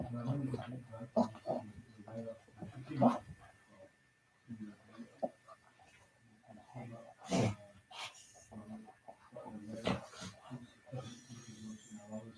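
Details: Senior Shih Tzu and a puppy in rough play indoors, caught on a live cam: low rumbling growls and grunts in uneven bursts, broken by sharp thuds and scuffling clicks.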